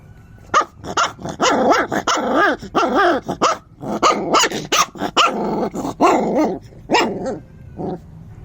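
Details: Angry puppy barking nonstop in rapid, uneven bursts of high, rasping yaps with a growly edge, barely pausing between calls.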